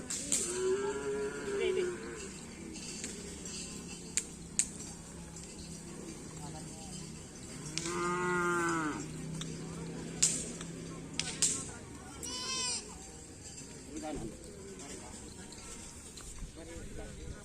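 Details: Karapan sapi training with two black bulls at Asemanis field, Pamekasan: scattered moos, one early and steady, a rising and falling bellow midway, and a brief call later, amid background music, clicks and murmuring voices.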